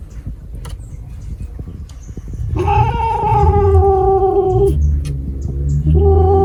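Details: Cat letting out one long, even yowl of about two seconds, then starting a second at the end, over a quiet low hum.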